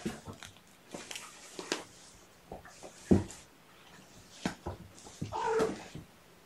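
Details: Sleepy kittens stirring through a gentle wake-up on weigh-in night, 16 June 2018, indoors in a small room; mostly soft rustling and handling clicks, then one short, high mew near the end.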